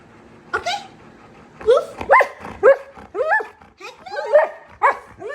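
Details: A husky malamute dog chatting with its owner at home, giving a string of short, yodelling 'woo-woo' vocal bursts that bend up and down in pitch, about two a second, with quiet room tone between them.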